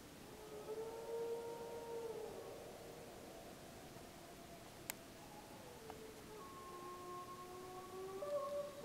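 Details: Snake River pack gray wolves howling in the Summit Ridge area, Wallowa County, on 25 July 2012 during a pup survey; faint, long, level tonal howls overlap and slowly drift in pitch over steady background hiss, with one sharp click midway.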